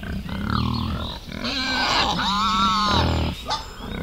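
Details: Forest scene with wild boar and piglets: a drawn-out, quavering squeal swelling then sliding in pitch over deep grunting, ending in a brief sharp cry.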